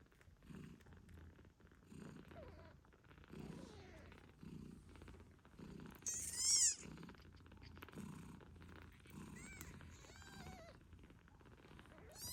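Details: Nursing British Shorthair mother Moon Stone purrs in soft pulses beside her 8-day-old kittens, which give high thin squeaks and short wavering meows, one loud burst near the middle.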